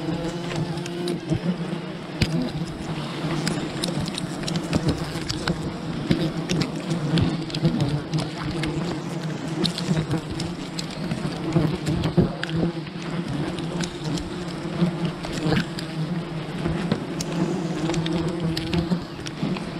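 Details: Wild bee colony disturbed during honey hunting, a dense continuous buzzing hum with steady bands low in pitch, overlaid by brief clicks and scraping knocks throughout.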